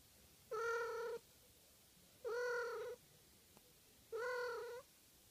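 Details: Domestic cat, an 11-year-old female from Japan, wanting to hug an arm: three drawn-out, steady, harmonic meows about half a second each, spaced roughly two seconds apart, in a quiet indoor setting.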